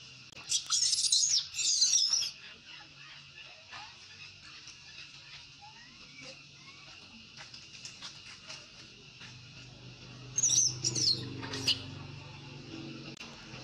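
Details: Baby monkey weaned by its mother, crying: two spells of piercing, wavering squeals, one near the start and another around eleven seconds, with a low steady hum and soft scattered clicks between them.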